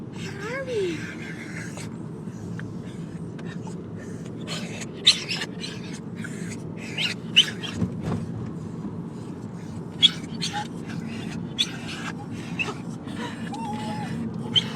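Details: Three excited pet dogs (one black and white, one shaved white, one fluffy and quiet) riding in a car to visit their grandparents; high wavering whines near the start and end, sharp breathy snorts between, over steady low engine rumble.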